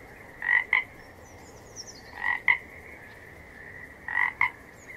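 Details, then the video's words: A frog giving double croaks, two quick nasal notes repeated about every two seconds over a soft steady chorus hum, with a faint high whistle in the background. "Gerçek Kurbağa Sesleri"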